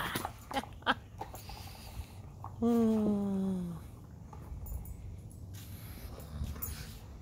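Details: Alaskan husky dog playing ball indoors, protective of its toys, gives one long drawn-out whining call that slides slowly downward in pitch, with a woman talking to it before and short rustles around it.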